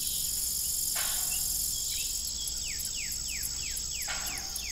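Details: Evening crickets at an old family farm with a broken windmill: a continuous piercing trill overlaid by a series of quick falling sweeps and two broadband knocks.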